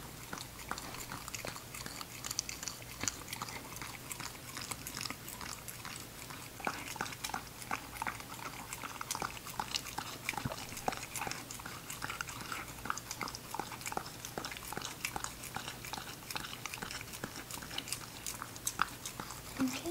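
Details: Ginger, an English Cocker Spaniel puppy girl, eats in a small room, her kibble crunching in a dense, continuous run of crisp bites and chews, some louder cracks scattered among softer mouthing sounds.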